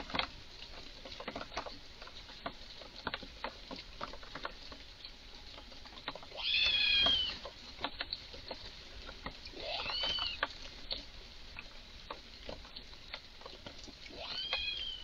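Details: Red squirrel in a garden, visibly agitated, giving strange calls: three drawn-out, harmonic, wavering cries at roughly three- to four-second intervals over a steady background of sharp ticking clicks and patter.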